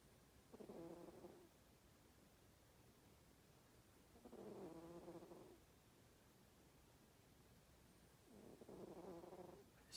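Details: Napping female house cat named Darma snoring steadily, three long buzzy, harmonic-rich breaths about every four seconds, each swelling and fading, in a quiet indoor room.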